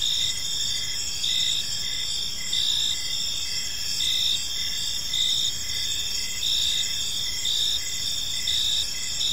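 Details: Evening park chorus of crickets: continuous high ringing trill layered with regular short chirps pulsing roughly twice a second, constant and even throughout.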